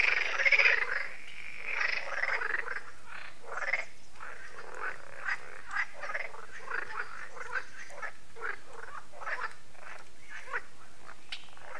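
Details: Frog chorus at a lake in France, held every year as evening falls and solar lights switch on; dense overlapping croaks, rapid and irregular, louder bursts in the first seconds then a steady rattling wall of calls.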